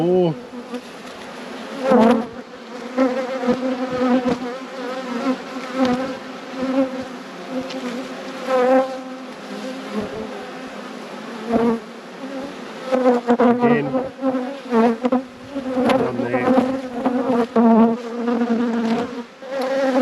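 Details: Honey bees droning steadily in a beekeeper's apiary at peak production, a dense hum near 250 with harmonic stacks, individual bees swelling louder and passing close around the open hive.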